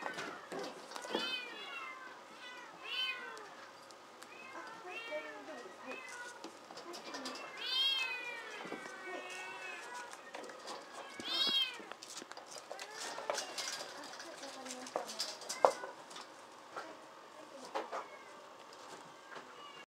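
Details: Group of playful rescued kittens at a shelter cat café in Otsuka, Tokyo, Japan; a steady chorus of high, wavering, overlapping meows, several long rising-and-falling cries, with scattered clicks and faint room noise.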